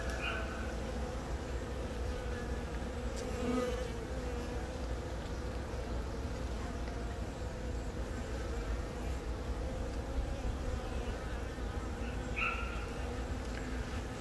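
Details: Worker honey bees drone steadily over a comb while a virgin-born queen from this year's first natural swarm begins laying, April 20, Yongin, South Korea, filmed by phone. Even low humming throughout, with faint brief higher tones at the start and near the end.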